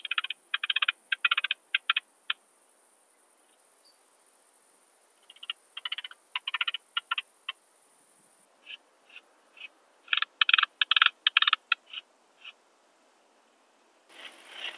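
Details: Barbitistes obtusus, the Alpine saw bush-cricket, singing near Brixen in Italy on 11 September 2022 via ultrasound detector; bursts of rapid scratchy clicks in three groups separated by quiet gaps, with scattered single chirps between.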